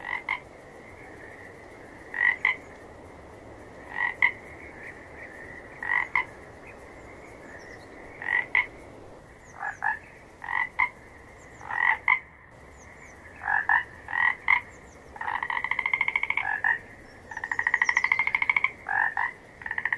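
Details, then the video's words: Real frog sounds: paired croaks spaced about two seconds apart grow more frequent, then long fast-pulsed trills join near the end, several frogs overlapping above a quiet steady chorus. "Gerçek Kurbağa Sesleri"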